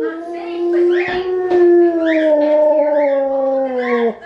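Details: A 3-year-old Alaskan Malamute howls during children's story time, giving a long, steady howl that wavers gently in pitch while a person reads aloud.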